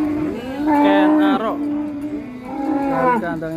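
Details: Unloading cattle from a truck at a contest in Indonesia, a bovine lows loudly in two long, sustained moos with rich harmonics, one after another, over faint voices in the background.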